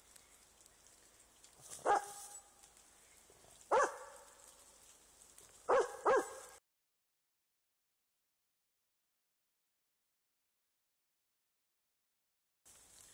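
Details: Vizsla meeting a roe buck in the woods gives a few separate barks spaced about two seconds apart, the last two close together, short and harsh with strong overtones, followed by a long stretch of silence.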